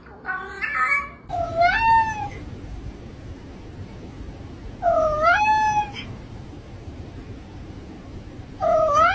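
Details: Cat meowing three times over a steady low background hum, each meow rising then flattening, spaced several seconds apart, with a short scratchy sound at the start.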